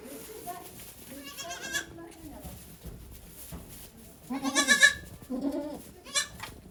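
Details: Goat named Okayu at Yoshigake farm, Japan, giving birth to two kids on 3 May 2023 while many volunteers watch; two loud, strained, quavering bleats with people talking quietly between them.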